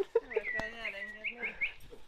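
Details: Hungarian Vizsla puppies making high, wavering whines and squeaks, a cluster of overlapping thin cries sliding up and down for about two seconds, with one sharp click.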